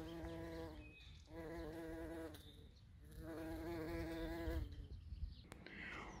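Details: Bees buzzing in a low, steady drone with a rich harmonic tone, coming in bursts of about one second separated by short quieter gaps, as if passing close by, over a soft background hum.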